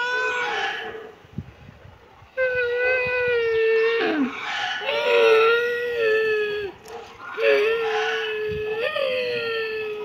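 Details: Kitten meowing loudly and persistently: long, sustained tonal meows with wavering pitch, several running together with brief gaps, one ending in a sharp upward inflection, over a quiet background.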